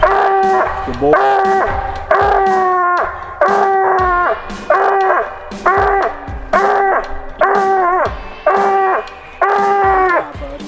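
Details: Coonhound on a coon hunt, baying steadily: long, drawn-out harmonic bawls, each about a second, repeated almost once a second with brief gaps, loud and close, with faint background noise between bawls.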